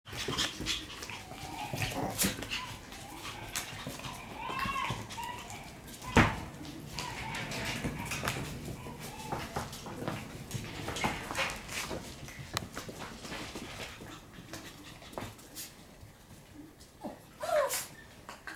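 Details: Shiba Inu puppies in their puppy room on a lively morning, playing, eating and full of energy on 9 November; brief whiny yelps amid scuffling, clatter and a person speaking.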